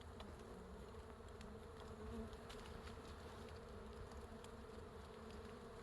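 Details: Wild honey bees covering a big hive suspended from a forest tree branch produce a continuous, even droning buzz, layered low tones holding steady throughout, with faint ticking noises overhead.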